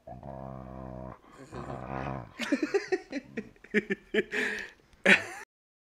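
A Rottweiler rumbles in a low, steady purr-like growl that breaks into short grunting pulses and snuffles. A huffing exhale closes the sequence.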